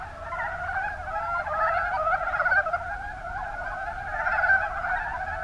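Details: Dense chorus of mountain brown frogs in the Kuma Basin, Kumamoto, Japan. Smeared, continuous croaking swells louder around the middle and again near the end, with individual pulses hard to separate.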